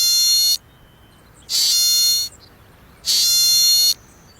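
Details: American pika. An American pika calls with harsh, nasal, high-pitched bleats that sound almost electronic. Each lasts nearly a second, with short silent gaps between, in a steady series of three.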